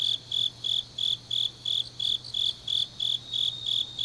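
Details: Grass insects on a deep autumn night in Changnyeong, South Gyeongsang, South Korea, chirp in steady, high pulses, about three per second, over a faint low hum.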